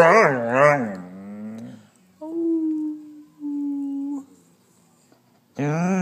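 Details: A Basset Hound "talking" and howling gives loud, wobbling, overtone-rich howls with softer, steady droning moans between them. Howling resumes at the end, while another dog barks at a hot water heater.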